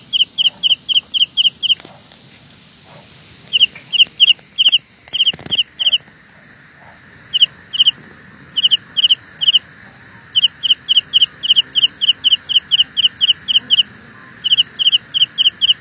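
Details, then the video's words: Carolina ground cricket giving long runs of high, clipped double and triple pulses with brief pauses, plus a single dull knock midway, over a soft constant high whine. "Sound illusion by Carolina Ground Cricket."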